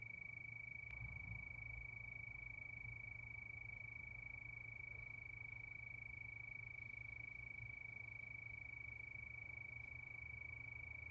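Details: Crickets calling at night under the moon, a steady unbroken high-pitched trill that holds one even tone throughout, over a faint low rumble.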